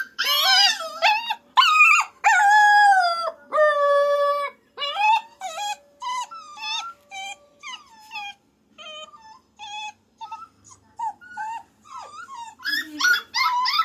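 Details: A puppy howls loudly at first, with several long level cries, then fades to softer, scattered short whimpers and whines before a few louder yelps at the end.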